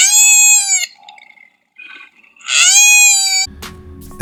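Two loud, wailing koala distress cries, each under a second, high and harmonic like a child's scream, the second sliding upward; a low rumbling sound starts at the end.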